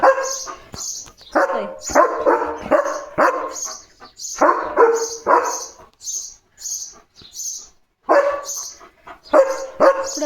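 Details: German Shepherd named Leo in a back-and-forth with a sparrow: clusters of rough, rapid barks, about three to four per burst, broken by pauses filled with the sparrow's repeated high-pitched chirps.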